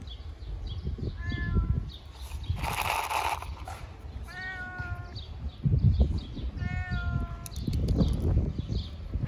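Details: Ginger fat domestic cat meowing loudly because it wants to eat: three short harmonic meows near 1.3, 4.5 and 7 seconds, with a burst of broadband noise around 3 seconds and low rumbling background throughout.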